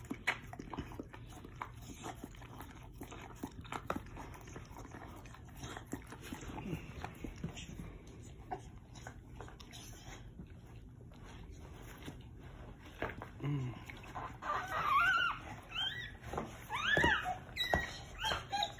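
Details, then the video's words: Pit Bull (Bully) dog giving birth to her first litter, indoors: a stretch of soft shuffling and low murmurs, then several high, thin squeaks and whines rising and falling near the end, with faint human voices earlier. "Pitbull/Bully giving birth | First litter"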